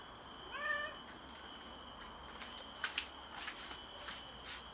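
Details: Stray mother cat meowing strangely on a balcony after giving birth to a premature kitten: one short wavering harmonic meow near the start, then a steady high electrical whine and scattered clicks and knocks.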